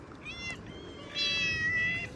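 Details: Cat meowing outside near a tree: a brief, thin meow, then a louder, drawn-out wavering meow, over soft background noise.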